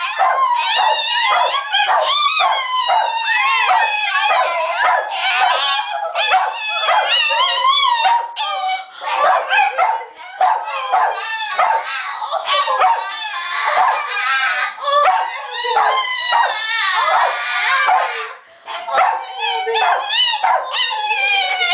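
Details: Abby, a female Italian Greyhound, vocalizing dramatically for attention: continuous high, wavering whines and yelping cries with rising and falling pitch, nearly unbroken for over twenty seconds with only brief pauses.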